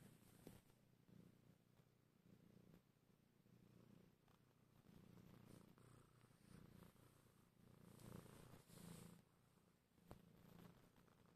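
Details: A domestic cat kneading late at night gives a soft, low, rumbling purr that swells and fades in long waves, with faint rustles and a sharp click near the end.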